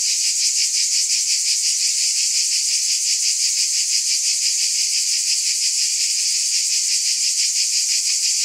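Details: Cicadas in a dense, unbroken high buzz, hissing and shimmering with a fine rapid pulse throughout, steady in loudness, no other sounds.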